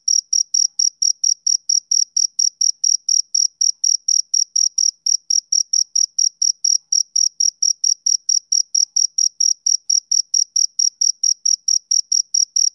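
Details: A male cricket repeats sharp, high chirps around four times a second, steady and unvarying throughout. Only the insect is heard.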